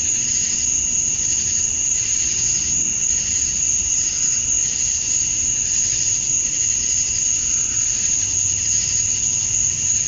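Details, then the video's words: Male cicadas in Georgia, USA, chirping at dusk on a summer night to draw females. A relentless shrill wall of sound, a steady piercing tone over a throbbing buzz that pulses roughly three times a second, with faint low rumbles. "Cicadas at Dusk, Summer Night"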